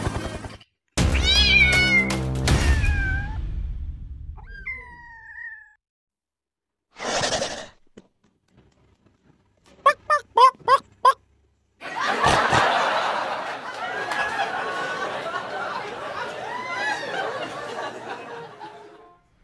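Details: A kitten (domestic cat) gives high, thin mews that bend up and fall away, with bursts of other noise between them.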